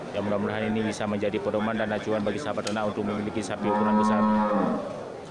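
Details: Large local cattle at the Geurugok livestock market on 29 March 2022, the last week before Ramadan; a low, harmonic moo rises from the market clamour, with a second long moo near the end amid people talking.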